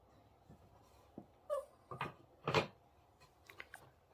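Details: A small female dog, tagged as Pomeranian or Papillon, gives a few short, sharp yips and barks in a quiet room while being scolded.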